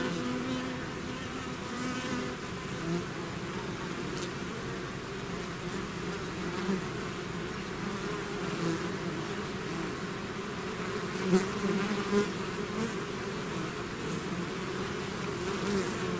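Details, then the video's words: Hive swarm of bees in flight: a steady, rich droning hum of countless wings, with occasional nearer buzzing passes and small clicks breaking through, especially past eleven seconds. "bees therapy swarm natural buzzing sound"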